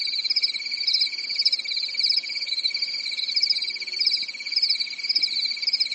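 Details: Night chorus of crickets in summer, recorded in a quiet European forest; continuous shrill pulsed chirping that swells and fades gently every second or so, with a faint low steady hum behind it.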